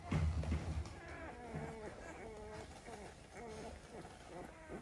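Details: Black and Tan Coonhound puppies four days old, a low thump at the start, then repeated wavering whimpers and mewing squeaks, roughly four per second, over steady low background rumble.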